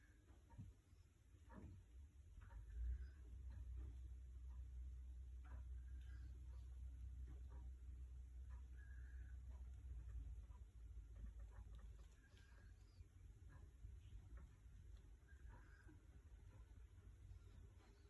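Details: Tiger snoring: a deep, steady low rumble dominating the lowest range for about ten seconds, then fading into softer breathing noise, with faint scattered clicks and quiet room sounds.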